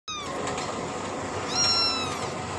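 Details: Kitten drinking milk, giving high thin meows: one long mewing note at the start, then a brighter rising-falling mew near the middle, over a steady hiss of background noise.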